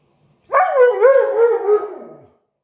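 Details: A "talking" Siberian Husky lets out one drawn-out, warbling howl lasting nearly two seconds, its pitch sliding up, dipping and wobbling before trailing off; quiet background.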